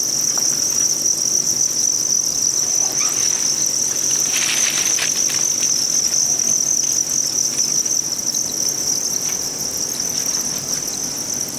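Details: Many Thai crickets kept on a Vietnamese cricket farm chirp together as one continuous shrill, even-pitched buzz. A brief burst of rustling noise comes midway.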